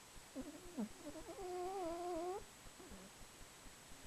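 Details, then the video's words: Snoring of Buffy, a female house cat, filmed on camcorder after a spell of cold weather; short nasal wheezes lead into a sustained, gently wavering whistled tone lasting about a second, then faint breathy snuffles. "Buffy The Cat Snoring"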